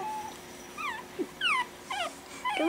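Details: Pekingese puppies four weeks old, one of a litter of four playing indoors after dinner: a run of five high, bending whimpers and squeaks, each under half a second, rising and falling in pitch, close and clear.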